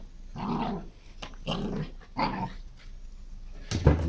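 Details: A dog goes wild in a garden with three rough, throaty growls spaced about a second apart, followed by quieter rumbling and a sharp knock near the end.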